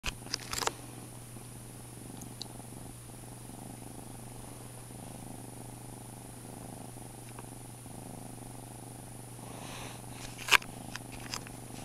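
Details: Foster kitten purring while washing itself indoors, a soft low continuous rumble with faint pulsing throughout, a steady electrical hum beneath, and sharp clicks or taps near the start and around ten seconds.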